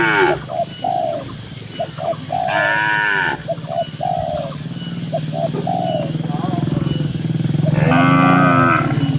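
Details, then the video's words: Several dozen cattle walking calmly in a green pasture: two strong, rising-and-falling moos stand out over a steady low throbbing rumble and scattered short cooing notes. "Cows & Funny Moo Sounds"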